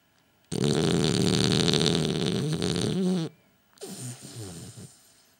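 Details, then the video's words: Gilbert, a French Bulldog, snoring while asleep with his eyes open indoors; a long rough, rumbling snore with a rattling low buzz, then a short pause and a second, weaker snore that fades out. "Gilbert breaks the WORLD RECORD of SNORING for French Bulldogs"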